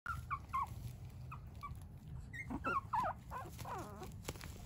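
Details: Dog, offered by a breeder, both parents cleared on a PRA genetic test: thin, high whimpers and yips come in quick irregular bursts over a steady low background hum.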